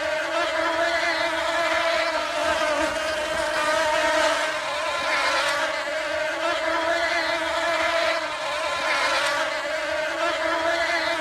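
Bees give a steady, dense buzzing drone that swells and fades slightly without pause.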